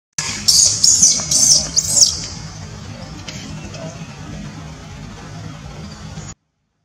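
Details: Baby monkey Tobias in Cambodia screaming at his mother after she refuses to carry him up a tree; a run of shrill, high-pitched screams repeated about twice a second for two seconds, then fading into quiet background hiss.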